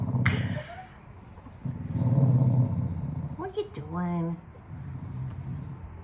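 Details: Wire-haired Dachshund The General, a rescue fresh from a shelter, grumbling while being bathed in lavender-scented water; two low rumbling growls, then a woman's soothing, rising voice.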